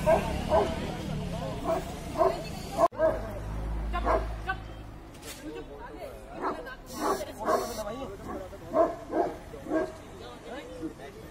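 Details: Tibetan Mastiff in a public setting, giving a quick series of short, low barks at a fairly even pace early on, then more spaced barks mixed with people talking and crowd noise.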